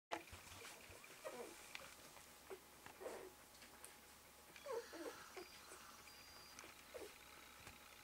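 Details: Malamute/Husky pups one day old, with their mother Eclipse, indoors: soft, short squeaks and whimpers come in scattered bursts, a few close together, over a quiet room hum with faint rustling.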